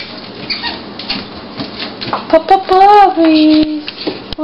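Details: Abby and Rocky, seven-week-old puppies born 3-12-09, indoors; faint squeaks lead into a loud drawn-out whine that wavers up then slides down and fades, with rustling and shuffling noise throughout.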